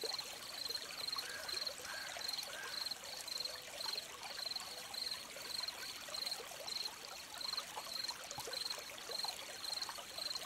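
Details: Crickets chirp near a flowing stream, quick high pulsed bursts coming faster and closer together early on, then steadier, over continuous trickling and splashing water.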